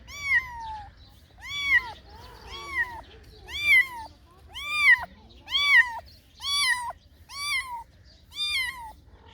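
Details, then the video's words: Cats and kittens giving a series of eight arched, high meows, evenly pitched and spaced about a second apart, with a soft low background murmur. "Funny Cats and Kittens Meowing Sound Effects Compilati |Cat Meow"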